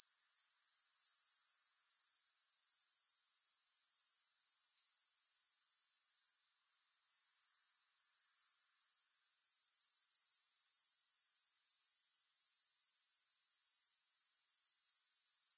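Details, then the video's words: A long, unbroken, high-frequency grasshopper trill with rapid regular pulsing has one short dip in loudness partway through, then continues evenly without music or other background sounds. "Grass Hopper Sounds"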